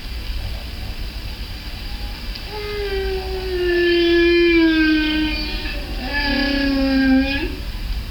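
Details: A single humpback whale, recorded by day and heard as if from close by underwater, sings long, moaning units that slide slowly downward, rich in harmonics, with a low rumble beneath, in a sound-silence sequence.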